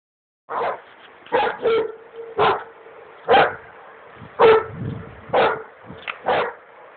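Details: Dogo Argentino on a duck hunt by the Drina River, Republic of Srpska, Bosnia and Herzegovina: about nine sharp, loud barks spread irregularly over seven seconds, some in quick pairs, over a steady faint background hum.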